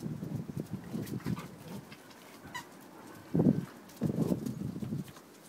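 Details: Eight-week-old puppies playing in a garden with their mother Peppa: low, rough grunting bursts, two louder throaty outbursts near the end, over soft rustling and scuffling.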